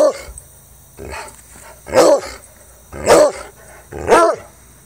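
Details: Jax, a spirited Treeing Walker Coonhound close to four years old, gives a quick series of loud, arched baying barks about once a second, with a faint softer bark at the start.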